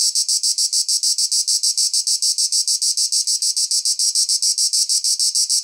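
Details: A cicada sings a strident, shrill rattle of fast, even pulses, close to seven per second, unbroken across the whole stretch.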